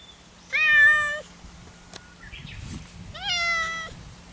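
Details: Two cats meowing back and forth, kept apart from each other; two long, tonal meows about two and a half seconds apart, the second starting higher and sliding down, with faint rustling between them.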